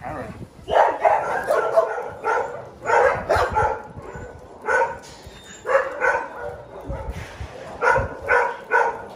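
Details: Small dogs barking in short, sharp bursts, clustered in uneven groups with brief quiet gaps between them; the barks sound mid-pitched and yappy, and a faint background hiss runs throughout.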